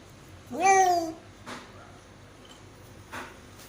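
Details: Domestic cat giving birth to five kittens indoors lets out a single drawn-out meow that slides downward in pitch, followed by a few soft taps and clicks in a quiet small room.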